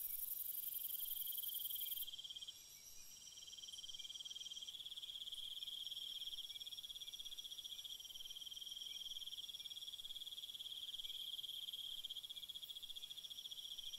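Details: Cricket chorus after dark: a very high shrill buzz fades after two seconds, then a lower steady pulsing trill carries on evenly, joined by fainter overlapping insect trills.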